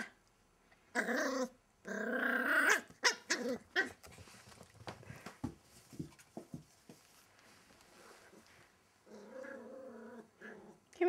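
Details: Wild Welsh Terrier puppy named Kimiko under a wardrobe, with bursts of harsh growling near the start, scattered clicks and scuffles in a quiet room, then a second rumbling growl at the end.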